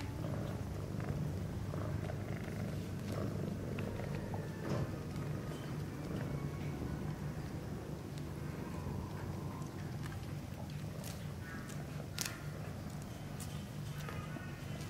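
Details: Sphynx mother cat with her kittens playing in their nest; a steady, low rumbling purr runs without break through the whole stretch, with soft scuffling clicks and rustles from the kittens moving about.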